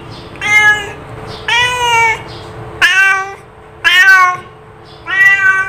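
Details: Cat repeatedly calling with five meows in quick succession, a mix of short chirpy cries and longer level wails, about one per second over a faint steady background hum.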